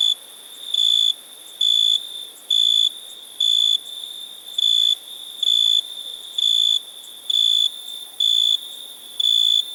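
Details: Cricket chirping: steady, high, pure-toned chirps about half a second long, repeated roughly once a second at an even pace over a faint continuous high hum.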